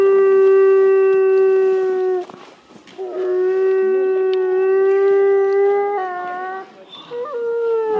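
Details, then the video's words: Timber wolves at Asahiyama Zoo in Asahikawa, Hokkaido, Japan, three siblings howling before 2 pm on a snowy February day in winter; long, steady, slightly rising howls with rich overtones, overlapping voices, brief gaps between, recorded on a phone. "冬季は遠吠え時刻も早め？ シンリンオオカミ 3姉弟"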